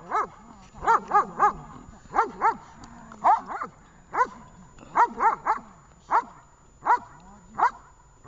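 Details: Dog named Vesta during a training session in Horlivka, 20 July 2019: loud, clipped barks with harmonic stacks, fired singly and in quick pairs or triplets at irregular intervals, with faint low background murmur between them.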